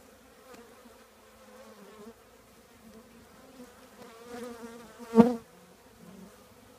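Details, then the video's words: Honey bee colony living in an old trash can, a steady low hum with layered buzzing tones, swelling toward the end with a loud close fly-by buzz just after five seconds. "the trash can bees"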